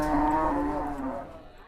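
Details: An Indonesian market cow, agitated on its first trip there, gives the fading tail of a low moo that trails off within about a second.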